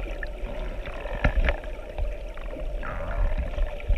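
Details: Humpback whales, two animals off the coast of Maui, Hawaii, recorded underwater beside a boat with its engines off; tonal calls sweep and curve in arcs near the middle of the clip and again toward its end, over constant low water noise.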